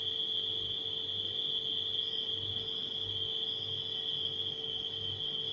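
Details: Steady high-pitched ringing of nighttime crickets runs without pause above the deep, monotonous hum of a refrigerator.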